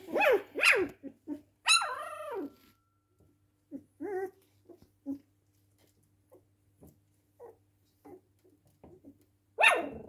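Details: Cocker Spaniel barking indoors: two quick harmonic barks open, then a longer yelping bark that falls in pitch, followed by scattered soft whines and one more sharp bark at the end over a low steady hum.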